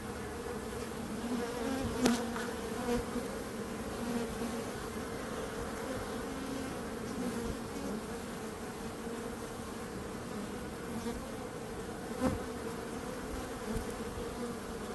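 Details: Continuous bee buzzing forming a thick, even hum, with a couple of brief sharp clicks standing out near the start and later on.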